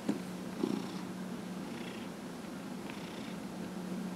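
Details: Dillard, a 15-and-a-half-year-old cat being massaged in January 2018, purrs in a low continuous hum; two short snuffly clicks open the clip, then breathy pulses follow.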